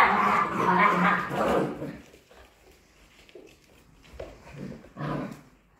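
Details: Polish Hunting Dog puppies, 55 days old, playing together; a dense burst of yappy barks and growly squeals for the first two seconds, then quieter scattered yelps and one short bark near the end.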